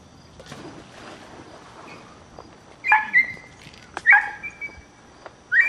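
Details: A dog gives sharp, high yelping barks with brief tonal tails, three bursts about a second apart in the second half, after a stretch of faint, low scuffling sounds.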